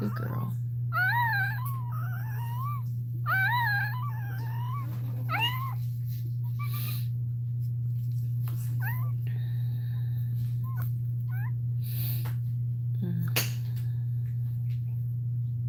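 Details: Crying from a Cane Corso during Cashmere's labour, in a small room: a run of quick wavering whines and yelps in the first six seconds, then sparse fainter whimpers, with a steady low hum underneath.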